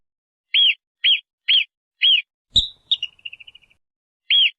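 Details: A marmot gives four short, high-pitched chirps at an even pace, then a sharp click and a quick, fading trill of tiny chirps, before one more chirp starts again.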